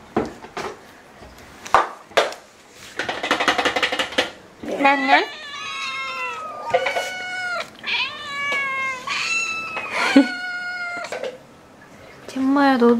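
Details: Household Ragdoll cats, one of eleven kept indoors in Korea, make a run of drawn-out, wavering meows with rich harmonics from about 5 to 11 seconds, after earlier clatter and talking nearby.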